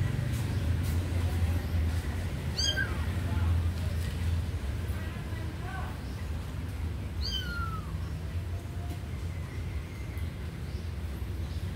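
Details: Kitten watching a sleeping puppy gives a few soft, short meows that curve downward, scattered across the stretch at irregular intervals, over a constant low rumbling background noise.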